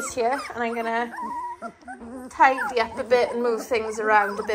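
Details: Litter of 18-day-old Dalmatian puppies whining together: overlapping wavering, tremulous squeals that rise and fall, with a brief steadier tone near the middle and a louder burst of whines in the second half.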